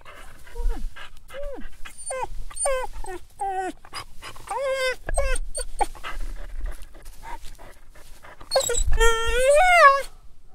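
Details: Dog whining: a series of short, tonal whimpers, each sliding up then down, repeated rapidly, ending in a longer, higher, wavering whine, with soft breathing between calls.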